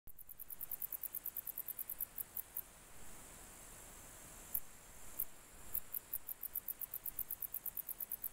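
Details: A wart-biter, a grey bush-cricket, sings a steady series of high, dry ticks, several each second, over low rumble; recorded in July 2021.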